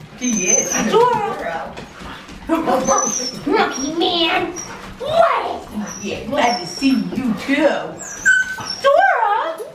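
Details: Pet dogs, back in the US after three years living in Thailand, greet old friends and a relative for the first time in an excited indoor reunion: high, sliding whines and squeaky yelps in bursts, overlapping with excited human voices.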